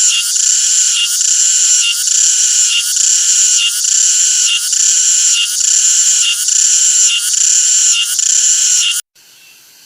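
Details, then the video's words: Cicada's loud, sizzling high-pitched drone with steady pulsing swells about once per second, cutting off sharply near the end and leaving only faint background hiss. "CICADA SOUND EFFECT 매미 울음소리"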